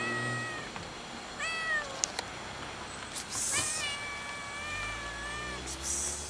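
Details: A lone fluffy, funny-colored tomcat perched on a gas enclosure begs for food with several steady, level meows, one long and sustained, over light background noise and a few sharp clicks.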